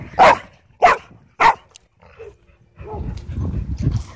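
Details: A dog playing at a dog park lets out three loud, sharp barks about half a second apart, then goes quiet before low rustling and scuffling noise returns.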